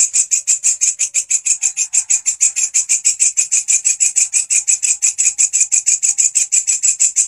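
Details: Grasshopper in full song, recorded as master material for training songbirds like canaries; sharp, high buzzing pulses ticking along at a steady fast rhythm with no pauses, a clean recording free of other noise.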